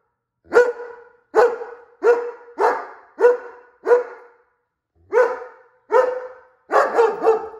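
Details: German Shepherd with dog reactivity, known for lunging and barking at people and at dogs on leash, gives loud, sharp single barks about once a second, nine in all, with a brief pause midway.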